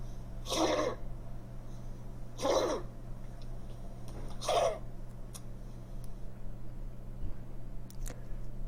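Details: A dog gives three dry, harsh coughs about two seconds apart over a steady low hum, a typical dry cough linked to narrowed airways.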